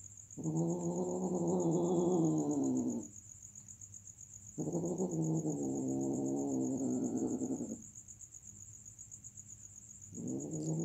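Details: Mating domestic cats give long, sustained, harsh yowls of about three seconds each, repeated after short pauses and a third beginning at the end, with a faint continuous high-pitched whine underneath.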